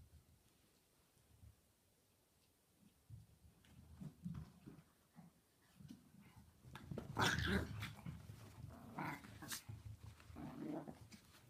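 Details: Pet Chihuahuas playing together indoors: soft low growling rumbles through the first half, then bursts of sharp, harsh yapping barks in the middle and toward the end, mixed with scuffling and thumping from the play.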